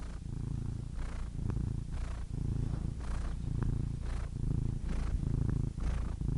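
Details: Cat purr, low and continuous, throbbing in regular breath cycles about once per second, with faint airy hiss on each breath; nothing else audible.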